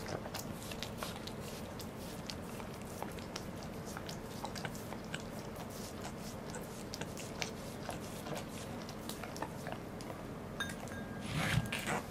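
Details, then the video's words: Goro, a Welsh Corgi, eats a fish indoors on 2 August 2014: a steady run of wet, crunchy bites and chewing clicks, with a brighter burst of crunching near the end over a low room hum. "Goro eats a fish. / お魚を食べるゴローさん"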